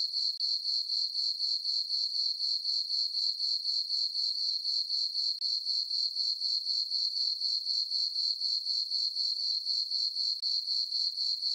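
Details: Crickets in a farm meadow at night in summer, full moon overhead, keep up a bright, even trill of pulses, roughly four each second, with one brief dip in loudness midway; nothing else audible.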